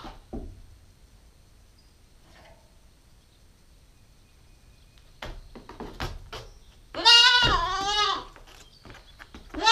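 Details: Nine-week-old female Nubian goat kid on a GoPro stakeout, mostly quiet at first, then scattered knocks and one strong quavering bleat after seven seconds, with the start of another bleat at the very end.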